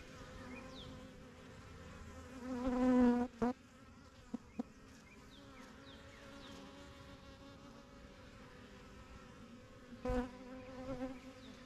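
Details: Honey bees flying in and out of a backyard yellow hive. A thinner background hum with single bees passing close, making loud rising-and-falling buzzes around three and ten seconds, plus a few sharp clicks.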